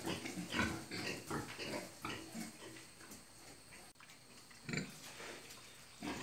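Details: Farm pigs in Assam, India, reared in the indigenous style, make a run of quick, low, throaty grunts, several per second, fading into quieter snuffles. A brief dip midway, then a louder grunt cluster and more at the close.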